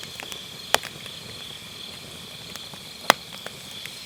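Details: Grass insects on an autumn night beside a round campfire brazier, captured with an MKE600 microphone using low-cut: a steady, unbroken high trill hangs over the scene while firewood gives two sharp crackling pops.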